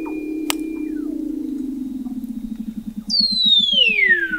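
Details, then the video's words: Weddell seal under the sea ice of McMurdo Sound, Antarctica, November 2017, recorded at 21 m by an oceanographic observatory; a low buzzing tone breaks into rapid pulses, then a high whistle glides steeply downward. "Song of the Antarctic Weddell Seal"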